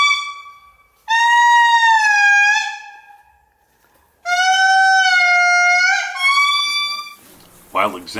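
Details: Indri in Andasibe-Mantadia National Park, Madagascar, giving their loud morning call: long wailing notes that hold, bend and rise.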